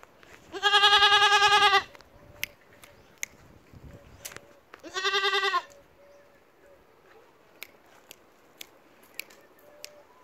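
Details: Loud, quavering goat bleats: a long bleat lasting over a second, then a shorter one after a pause, with scattered clicks and a quiet background between calls.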